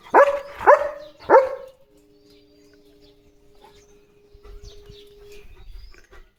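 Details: Pet German Shepherd at home gives three loud, sharp barks in quick succession, each about half a second apart, followed by a faint steady tone and quiet rustling.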